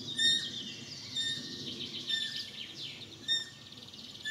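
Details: Roe deer fawn on its first day of life, alone in the grass, squeaking repeatedly: brief piercing nasal peeps roughly every second, set against busy chirping of wild birds.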